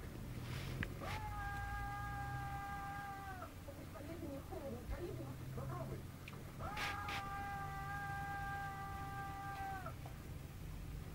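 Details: Kittens 28 days old, nearly a month: two drawn-out, level, tonal meows of about two and a half to three seconds each, separated by soft rustling and a constant low background hum.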